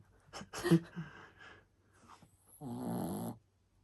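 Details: Sleeping Shih Tzu puppy snoring indoors in a small room, rough breathy snores followed by a longer, steadier voiced rumble near the end.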